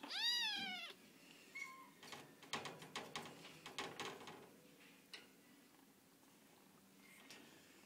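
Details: A cat at the Animal Rescue League shelter gives one loud, high, wavering meow, then goes quiet while a run of metallic clicks and clanks rattles through the small indoor room, with a faint second meow later.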